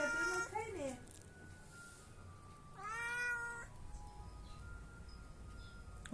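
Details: Domestic cat meowing twice, first a brief call that bends downward, then a longer level meow about two seconds later; a man's voice speaks in Gujarati nearby, with a faint steady tone in the background.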